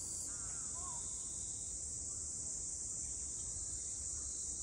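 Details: Cicadas droning in Ine no Funaya, north of Kyoto, Japan: an even, piercing high whine fills the whole stretch, with a brief faint bird chirp near the start and quiet low background noise.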